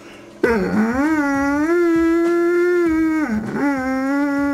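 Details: A "singing" Doberman Pinscher from Salt Lake City, set to music, gives a long, sustained howl that swoops down, then holds a steady wavering note.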